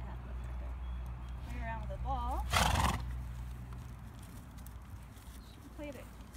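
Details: Six-year-old bay Thoroughbred mare with two white rear socks, never raced, kept at a home in Graham-Kapowsin, Washington; a short wavering whinny with quivering stacked tones, then a loud breathy snort, over a steady low hum and faint talk.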